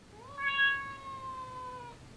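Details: A talkative female Siamese cat gives one long, drawn-out meow that rises quickly, then holds and sags slightly, seeming to answer her owner's questions.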